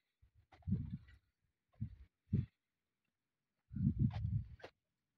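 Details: A camel brought to a private farm in Northern Kazakhstan for breeding gives low, throaty rumbles and gurgling grunts in uneven bursts with quiet gaps, the longest near the end rough and bubbling.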